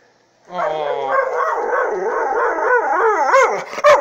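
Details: Saint Bernard and Pit Bull mix dog, jealous over its owner, gives a long, wavering, high-pitched whining howl that rises and falls in pitch for over three seconds, with a brief sharp noise near the end.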